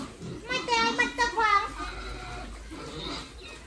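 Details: Domestic pigs raised on a family farm for sale give three loud, tonal, rising-then-falling squeals packed into about a second, followed by quieter, breathy noise and a faint background murmur.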